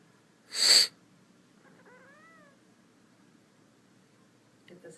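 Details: Indoor kitten answering a person's sniff while the owner has a cold: one loud sniff, then a brief, thin meow that rises and falls, followed by quiet room tone and a faint rustle at the end.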